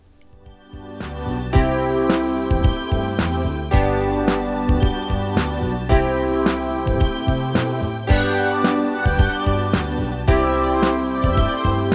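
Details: Loud rhythmic band music with keyboard, bass and drum beats fills the whole stretch, without any animal voice.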